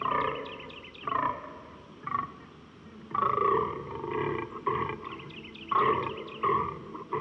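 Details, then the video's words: Fallow deer (Dama dama) in natural sound, calling in deep, hoarse groaning bursts repeated roughly every second, some clipped and short, others drawn out, with faint high chirps near the start. "Fallow Deer - The Call of The Deer"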